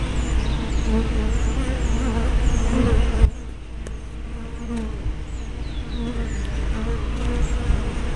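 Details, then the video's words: Honey bees at a hive entrance, picked up by a spy camera with a fisheye lens: a dense hum of many wings with passing pitch glides as bees fly close, and a sudden drop in level after three seconds. "Bee Hives - Entrance Observation"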